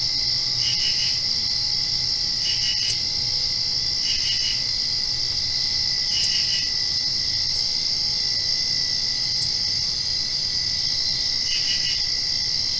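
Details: Crickets at night directly after rain: a steady high ringing chorus with pulsed chirp bursts repeating roughly every one to two seconds, layered over faint low background hum.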